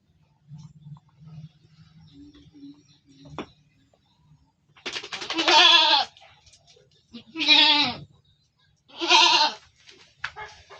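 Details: Goat in a pen in Indonesia bleating: three loud, harmonic, wavering bleats each about one second long, spaced roughly two seconds apart, after a few soft rustles and bumps.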